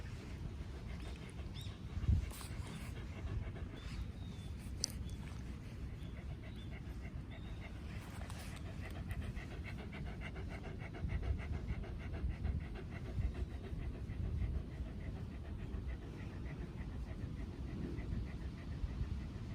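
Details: Haru, a female Shiba Inu born in 2019 living in the countryside, pants steadily while out on a walk, wanting to be petted and approaching with a smile; soft rapid breathing, with faint outdoor background noise.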